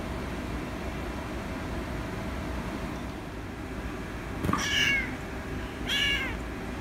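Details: Rescue kitten meowing for attention: after several quiet seconds, two clear, bright, slightly falling meows about a second apart, set against a steady low rumble.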